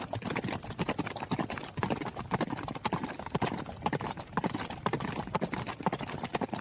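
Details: A horse running, its hooves landing in clear, sharp clacks grouped into uneven clusters about twice a second, with short lulls between bursts and a faint steady hiss behind.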